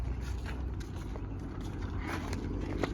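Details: Low rumbling background noise with scattered scraping and shuffling sounds and faint voices, no animal calls.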